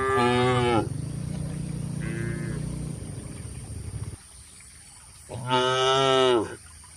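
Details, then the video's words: Cattle eating grass in an Indonesian oil palm plantation: a loud moo at the start, low rumbling lowing continuing for a few seconds, then a second loud bellowing moo near the end. "Bunyi suara sapi lembu"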